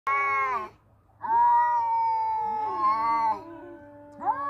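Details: Two male cats in a fight give loud, drawn-out wailing yowls, long harmonic howls that sag and rise, two voices overlapping, with a steady low hum underneath.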